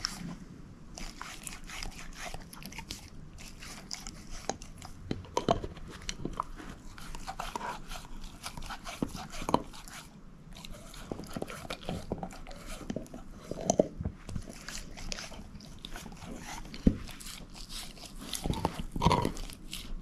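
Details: Female shepherd mix Moose working on a bone; scattered crunches and sharp clicks across twenty seconds, a few standing out as louder bites, with quiet room background between them.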